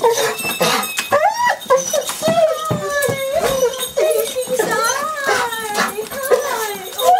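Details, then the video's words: Golden Retriever welcoming owners home after more than a week's absence, indoors, with a terrier mix present: continuous warbling moans and whines, pitch bending up and down in wavy strands, with people talking and laughing over them. "A HUGE "Welcome Home" from our Golden Retriever & Terrier Mix"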